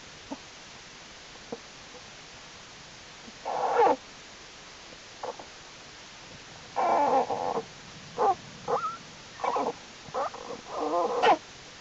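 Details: Jewel the black bear's cubs, growing stronger and crawling about their winter den on a warm January 31, 2012; short scattered squeals at first, then a run of brief wavering cries near the end.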